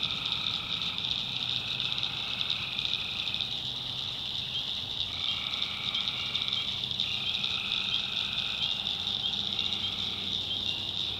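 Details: Tree frogs after dark in the North Carolina backwoods: several calling bouts of harsh, pulsed trills, some long and some short, coming and going against an unbroken high whining background chorus.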